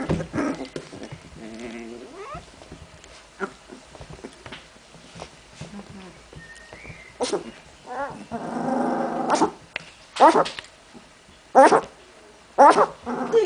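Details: Puppies at play make low growls and wavering whines, then louder yelping bursts in the second half, with sharp clattering knocks at regular intervals.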